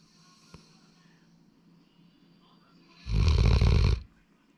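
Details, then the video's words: Single heavy snore from Sora, a young male Labrador Retriever, a broad, rough rumble of about one second following near-silence, with a faint click earlier on. "ラブラドールの いびき"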